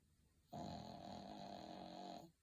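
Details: A pet dog asleep and snoring comfortably: a single sustained, vibrating snore nearly two seconds long, evenly loud and rough, in a quiet indoor room.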